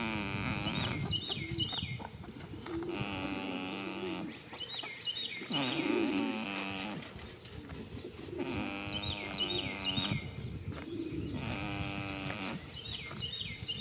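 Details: A goat snoring while asleep in a field on the first day of spring. Long, voiced, groaning breaths come in a slow rhythm about every three to four seconds, with small birds chirping now and then.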